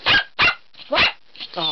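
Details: A Bichon Frise gives three sharp, high barks about half a second apart, apparently asking to go out for a walk.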